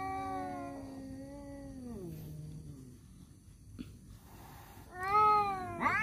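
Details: Male domestic cats fighting over a female: long, drawn-out, harmonic yowls that slide downward and sag lower over two seconds, a short quiet gap, then a fresh rising, wavering yowl near the end.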